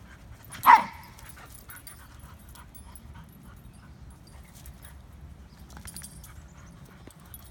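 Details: Lady, a female dog of about two years with blonde hair and big ears, suspected Labrador or Basset mix, available for adoption from a foster home, gives one short sharp bark near the start; a quiet room with faint rustles follows.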